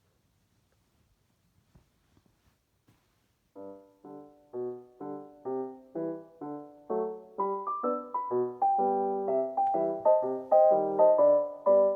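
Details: Soft piano music begins after a few faint clicks and plays steady, gently rising chords to the end.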